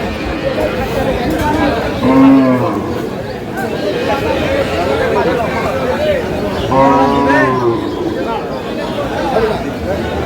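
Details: Cows with calves at Aftabganj cattle market, Dinajpur, Bangladesh: two drawn-out lowing moos, each about a second long, rising above a steady crowd murmur and people talking nearby.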